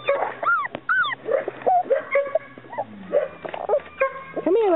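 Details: Chesapeake Bay Retriever puppies whimpering and whining, a run of high, arching, tonal cries that rise and fall, some overlapping, with a person's voice speaking softly to them in between.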